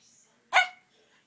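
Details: Single sharp bark from Cisco, a two-year-old Norfolk Terrier intrigued by ornaments on the Christmas tree, with a person's voice asking what's the matter just before.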